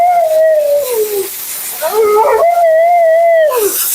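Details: Mila, a talkative female Siberian Husky at her second-ever groom, vocalizes during bath and grooming: a long, wavering, falling howl-like moan, a short pause, then a twisting yelp and another sustained, gently undulating wail that drops off at the end.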